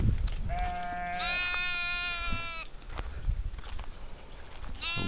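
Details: Goat on a goat-raising farm bleating: a long wavering, nasal bleat of about two seconds that jumps higher in pitch partway through, then a second bleat starting right at the end, over farmyard background noise and knocks.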